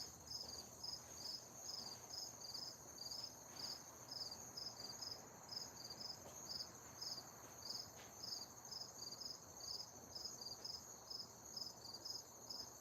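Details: Crickets chirping outdoors in cool weather: short, bright, high pulses repeated about twice a second in a steady train, over a constant thin ringing tone and soft background hiss.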